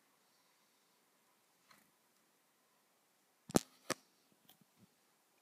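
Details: A quiet room with a few sharp clicks and soft taps, and no animal calls.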